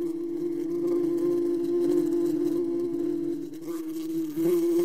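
A wasp's steady, low droning buzz holds one pitch for nearly five seconds, dipping briefly near the end before swelling back.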